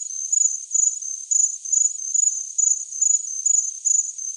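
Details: High-pitched cricket chirps for tinnitus masking, short buzzy pulses repeating roughly two to three times per second in an even rhythm, no other sounds present.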